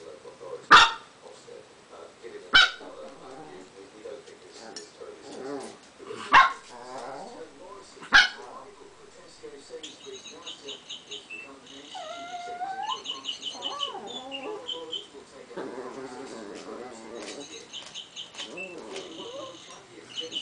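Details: Pet dog barking at a balled-up piece of paper inside a glass that it wants, four sharp single barks spaced a few seconds apart, followed by whiny vocalizations and clinking, rattling sounds indoors.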